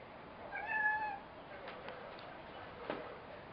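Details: Frieda the cat talking indoors: one drawn-out harmonic meow lasting about half a second, steady then slightly falling, followed by a few soft clicks and knocks in a quiet room.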